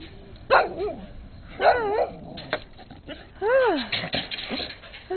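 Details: Brown skinny mixed-breed dog barking up a storm in late 2006, with a red Husky nearby; three short arched, yelping barks spaced about a second apart, with a person talking softly between them.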